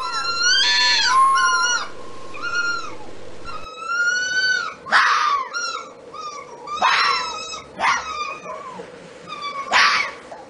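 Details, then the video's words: Fox voice with drawn-out, harmonic whining cries followed by abrupt broadband barks and yelps, delivered in irregular bouts roughly every second or two, with a faint low hum underneath. "Fox calls and Barking | Fox Sounds | Fox Mating sounds"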